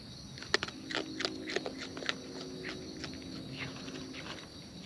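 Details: Raccoons in the wild feeding, giving soft crunching bites and clicks in short bursts, louder at first then easing, with a faint low hum and a constant high insect drone behind.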